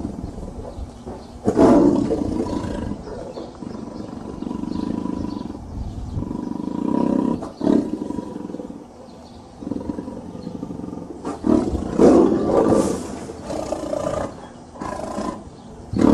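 A tiger gives deep, rasping roars and growls in bursts with short pauses between.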